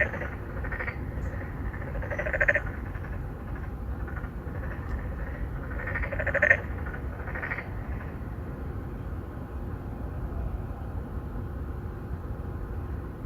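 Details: Several narrow-mouthed frogs calling to attract females at a pond in an apartment complex in Songdo, Incheon, Korea, 2019: two prominent nasal croaks about four seconds apart plus fainter calls, over continuous low background noise.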